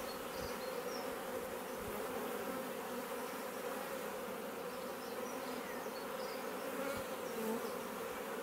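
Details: Honey bees of a swarm newly moved into a bait hive, garden in Leicestershire, England, in June; even, unbroken buzzing hum for the whole stretch, with scattered faint bird chirps in the background.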